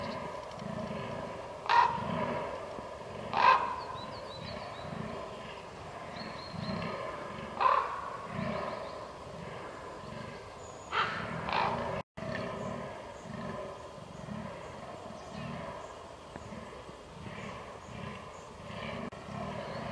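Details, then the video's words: Rutting fallow deer recorded 22.10.2022 giving low, throaty belching groans in a rhythmic series, interrupted by several sharp clicks and a brief dropout, with faint high-pitched tones above. "DAŇČÍ ŘÍJE / FALLOW DEER RUT"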